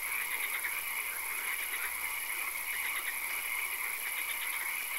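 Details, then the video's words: Frogs croaking in a night-time swamp with occasional rain; pulsed trills come in short bursts roughly every second, layered over a wider chorus, a high steady whine and soft hiss. "Frog Calls, Swamp Sounds and Occasional Rain"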